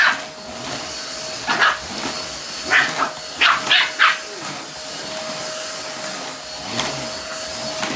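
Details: Pomeranian panicking while a vacuum cleaner runs during house cleaning; short sharp high barks and yelps in small bursts over the steady loud hum of the vacuum.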